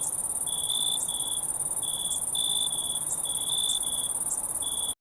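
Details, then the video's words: Many crickets chorusing in the wild, heard as a constant thin, high ringing with pulsed, slightly lower trills in brief bursts of under a second. The sound stops abruptly at the end. "Crickets in the Wild Sound Effect"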